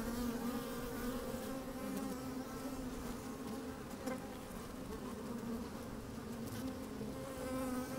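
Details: Steady hive hum from honey bees working in an opened colony on a sunny day, microphone inside the hive; droning low tone with bright harmonic layers, short buzz bursts near the start and middle.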